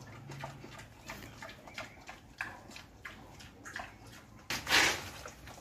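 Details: Wild boar eating jackfruit: wet, crunchy chewing clicks repeating roughly every half second, with a louder splashy crunch near the end.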